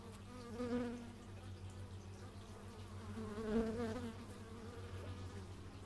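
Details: Bees recorded outdoors in stereo with an x/y microphone: humming buzz with a steady drone, swelling loudly as insects pass close around one second and again near three and a half seconds, over faint background hum.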